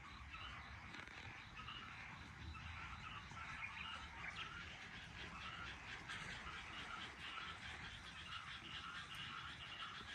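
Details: Evening frog chorus beside a house garden in Japan, 23 May 2022, 18:34: a dense, distant wash of overlapping trilled croaks runs continuously, soft and even, with low background hum.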